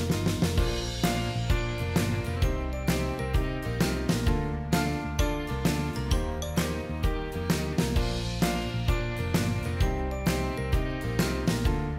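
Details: Steady rhythmic music with drums and chiming tones throughout; no animal sound is heard.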